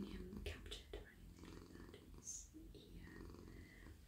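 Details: Domestic cat, male, melting in a person's lap as he is stroked on head and neck at night. A low, pulsing purr continues steadily while a voice whispers and fur rustles nearby.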